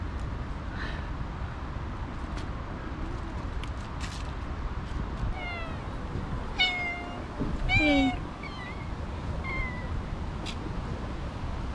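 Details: Stray domestic cats, a mother with her two kittens, give a series of short, clear meows, some rising and others falling, scattered through the second half, while a person speaks softly to them in a noisy outdoor setting.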